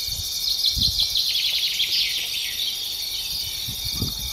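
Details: Grasshopper out in natural scenery: a continuous shrill, high insect buzz with a cluster of rapid raspy pulses through the first half, then a faint thin whistle near the end.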